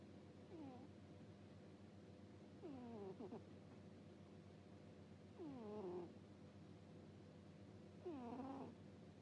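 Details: Domestic cat asleep and snoring with a soft "puu puu" sound: four squeaky, whistly snores, each gliding downward with a bright overtone stack, coming about every two and a half seconds over a steady low indoor hum.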